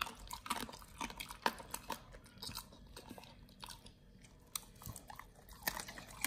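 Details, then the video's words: Raw-fed Pit Bull nomyen crunching raw quails indoors; steady bone-cracking bites and crisp crunches, a quieter pause midway, then chewing resumes with sharp snaps. "nomyen the Pit Bull SOLO VS. Quails [ASMR] | BARF | MUKBANG 動物の咀嚼音 | 犬が生の肉を食べる"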